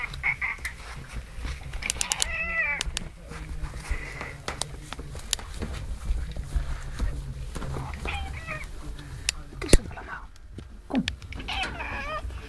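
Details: Domestic cat meowing while following its owner around indoors; a wavering harmonic meow near second 2, softer meows around seconds 8 and 11, with footsteps, clicks, low rumble and a man speaking Dutch.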